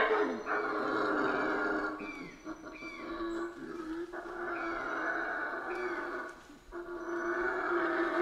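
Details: Howler monkeys roaring steadily in the Central American rainforest, a continuous, rough, droning howl at moderate distance, with several thin whistled bird calls and high insect-like tones above it.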